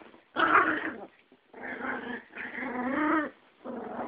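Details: Yorkie and Pomeranian in a fight, snarling at each other: four loud, harsh growls separated by brief pauses, the third a long rumbling growl that wavers in pitch.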